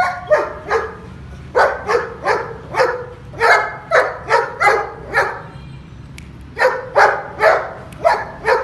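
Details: Male long-coat German Shepherd from Pakistan giving a run of sharp, rapid barks in clusters, one pause near the middle, with a constant low background rumble.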